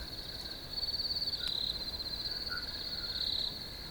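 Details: Cricket song in a field: a rapid, pulsing, high-pitched trill grows louder after the first second and then holds steady, with a soft lower chirp partway through.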